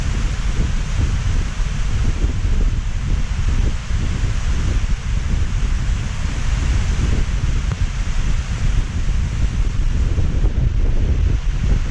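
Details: Heavy rain at night gives a steady, dense low rumble with windy hiss throughout, and no animal calls stand out.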